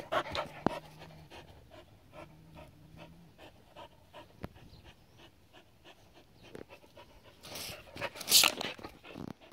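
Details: Playing in water, a seven-year-old Border Collie named Adaike Polední kámen keeps up a run of short panting breaths, broken by bursts of splashing toward the end.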